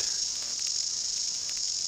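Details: A male New Zealand chorus cicada (kihikihi wawa) arches his back to enhance his noise makers; only males make sound. Recorded at close range on a GoPro, he gives an unbroken, shrill, high buzz with fast flickering pulses throughout.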